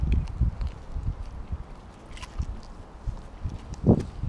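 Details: Siberian Husky Kobi devouring an entire raw mackerel at once; loud, close, irregular wet crunches and thuds of chewing several times a second, with a heavy bite near the end.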